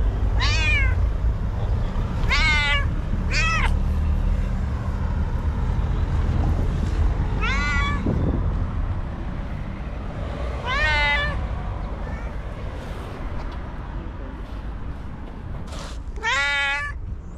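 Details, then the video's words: Angry white cat, aggressive, screams again and again: strained, quavering yowls every one to two seconds at first, then spaced-out bursts, each thick with harmonics, backed by a heavy low drone of traffic. "Psycho Cat That Screams and Hits: Angry White Cat"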